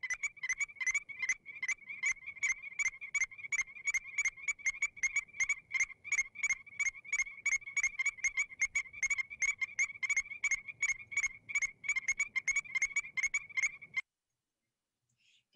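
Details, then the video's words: Arkansas Strecker's chorus frogs answering one another with quick, clear, piping whistles, a steady run of short notes roughly three each second for about fourteen seconds before stopping. "[Music] hmm did you hear the whistle did you hear them talking back and forth to each other that's"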